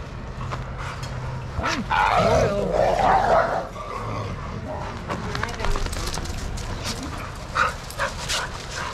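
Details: Play barking among shelter dogs in an Arizona yard at Pima Animal Care Center: a burst of overlapping barks in the middle, with human voices and clattering yard noise before and after.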